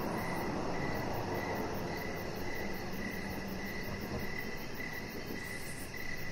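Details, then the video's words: Crickets chirping in the evening beside a backyard deck lit with decoration lights, a chihuahua puppy resting nearby; faint, rapid high chirps pulse steadily under a heavy, constant low rumble of background noise. "3 Hours Of Chihuahua Puppy Laying On Deck with Cricket Sounds"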